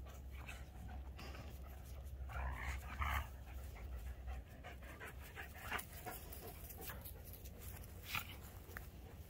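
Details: A Keeshond named Voodoo and a Greyhound named Tasha in a game of tug, 21 March 2021: hoarse, rapid panting breaths with bursts of scuffling noise, over a low steady hum.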